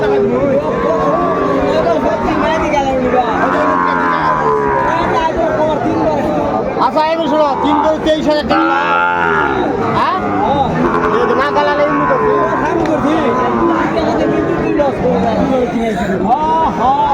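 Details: Crowded Tangail cattle market in Bangladesh, 2 May 2024, with Sahiwal bull calves on sale in the heat. Dense, layered moos of varying pitch keep coming from many animals, mixed with human voices and general bustle.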